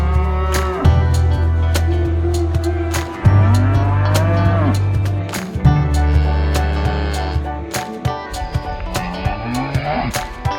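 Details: Cows at a market calling their friends: two long, level, low moos of over two seconds each, then shorter, more wavering calls rising and falling in pitch, against frequent sharp clicking and knocking sounds.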